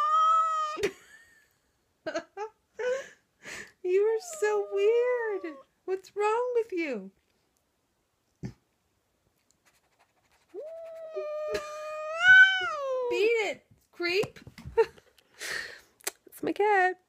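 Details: Indoor Siamese cat answering its owner's funny noise with long moaning yowls that rise and fall, some sliding downward, interspersed with shorter meows and a person's speech.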